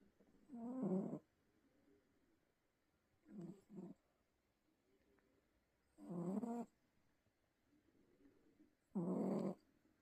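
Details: A sleeping pet cat snores hard, each breath a harsh rattling low buzz lasting half a second to a second, repeating roughly every three seconds, one split into two short snorts, with near silence in between.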